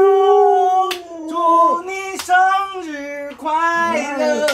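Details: Alaskan Malamute Luoluo howling at home while its owner is sick in bed: a series of wavering, tonal howls, each dipping and rising in pitch, broken by brief gaps and short yelping breaks across four seconds.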